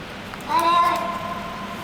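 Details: Hungry street cat that frequents a garage basement, fed and making 'happiness' noises while eating; a single short tonal meow rising slightly then holding steady, over a faint background hum.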